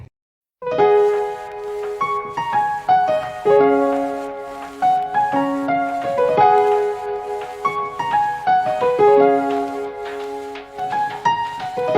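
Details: Solo piano music plays throughout, with flowing melodic notes over sustained chords, and no animal voice.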